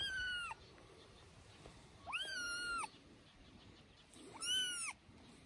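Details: Loud meows from a three-week-old kitten playing on a man's shoulder: three clear, drawn-out cries, each rising and then falling, about two seconds apart, over quiet background.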